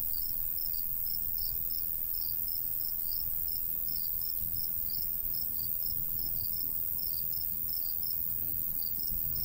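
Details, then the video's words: Natural cricket sounds from a golden wheat field in summer countryside with a light breeze: quick high chirps in irregular clusters, constant insect hiss above, gentle low wind noise beneath. "Countryside/cricket sounds"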